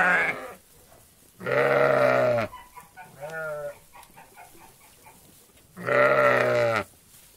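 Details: Sheep flock grazing a meadow: two loud, rough, harmonic bleats about a second long, separated by a softer, higher wavering bleat and quiet pauses, with a short bleat at the very start.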